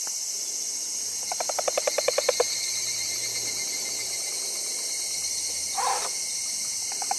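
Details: Wrinkled frog calling: a quick train of about a dozen rapid, evenly spaced pulses that grow louder over about a second, then a short lone croak later, over a steady high hiss of insects.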